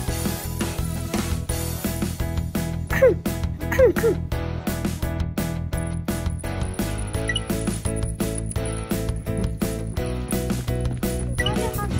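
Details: Upbeat music with steady percussion and bell-like chimes fills the recording, with brief snatches of voice and no animal sound.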